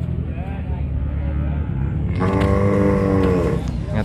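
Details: Simmental-cross cattle at the Pasar Legi market, Jatinom: a loud, sustained, even-pitched moo of about one and a half seconds rises out of constant market chatter and background rumble.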